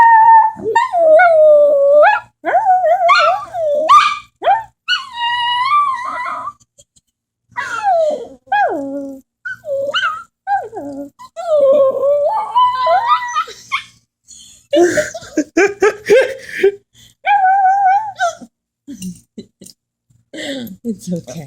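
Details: Female puppy howling when she hears a police siren: rising and falling wavering howls in several drawn-out bursts, mixed with short yips and whimpers and brief quiet gaps between phrases.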